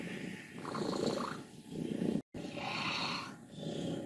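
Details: Old contented female cat Wassilissa, aged 14, from Leutkirch im Allgäu, makes a short, snoring rattle in a couple of raspy breathy pulses, with a brief silent gap in the middle.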